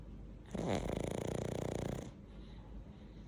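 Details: A pug snoring while asleep: one drawn-out, rattling breath lasting about a second and a half, a low buzzy vibration with a sharper catch at the start, then quiet room noise.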